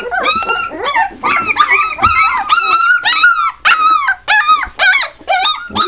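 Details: Hungarian Vizsla puppies whine and yip in high, wavering bursts, several voices overlapping; recorded 27 April 2011.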